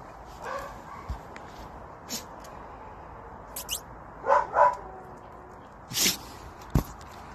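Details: White Lakeland Terrier barking in short, sharp yaps, a close pair in the second half followed by a single bark, with scattered clicks and light background noise.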